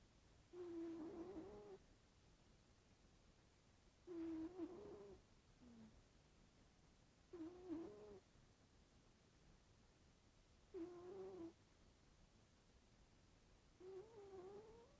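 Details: Sleeping pet cat snoring: five squeaky, whistling snores with a nasal, wavering tone, one on each breath about every three seconds, over a quiet indoor background.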